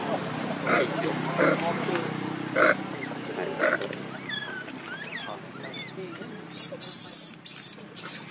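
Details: Baby monkey Leo, hungry and begging its mother for milk: mixed low rustling and murmurs at first, then a run of four shrill, high-pitched screaming cries near the end.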